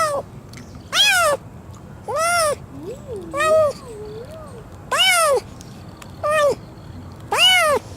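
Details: Injured, lame cat found crying near a neighbour's door, crying from hunger rather than the injury: six loud, arching, harmonic meows about a second apart, with softer wavering, quavering cries between them.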